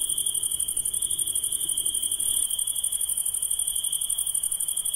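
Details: Night insects call in a continuous shrill ring, the pulses throbbing several times a second in a steady, slightly uneven rhythm, topped by a fainter high sizzle over a quiet low background.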